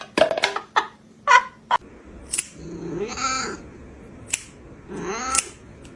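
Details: Domestic cat indoors giving two drawn-out, arching meows that rise then fall, separated by a short pause, after a run of sharp clicks and knocks.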